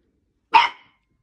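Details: Blue Italian Greyhound giving one sharp, bright bark, loud and abrupt, fading within a fraction of a second into silence.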